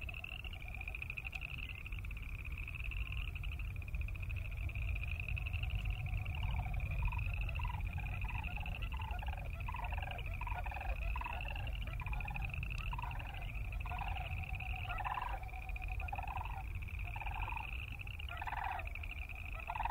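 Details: Boreal chorus frogs in a distant chorus: a steady, pulsing trill holds at a high pitch throughout. Faint rasping trills rise in the middle, over a constant low rumble.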